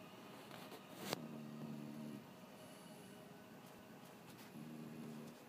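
A French bulldog snores with a low, droning rattle that starts and stops between breaths.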